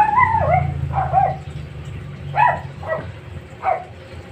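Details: Maxine, a three-month-old Aspin puppy, gives five short, high, yelping barks spread over about four seconds, each with a slight rising-then-falling bend, while a low steady hum runs under the first two yips.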